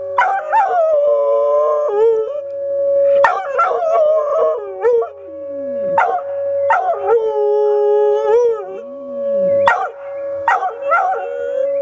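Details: Dog reacting to tornado sirens with repeated howls, each starting in a sharp yelp then settling into a long wavering tone, a new howl about every three seconds over a steady siren drone.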